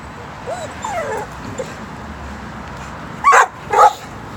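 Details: Female pet dog stalking a stationary squirrel on the side of a tree, creeping like a cat; soft rising whimpers early on, then two sharp yips near the end, with a person's voice in the background.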